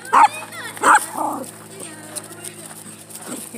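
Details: Domestic dog, a female, barking on a walk at another energetic dog she dislikes: two sharp loud barks about 0.7 seconds apart, then a softer yelp, with a woman's voice and outdoor noise.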